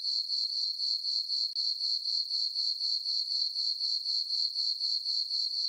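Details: Summer-night crickets in a moonlit farm meadow, their shrill chirping beating in a fast, regular rhythm of roughly four pulses a second, the only sound present.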